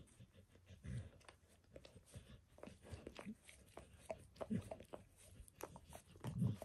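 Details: Close-up sounds of a dog licking its paws and a person's foot and leg while bathing itself indoors. Soft, uneven wet clicks and smacks come about every two seconds, with louder laps near the end.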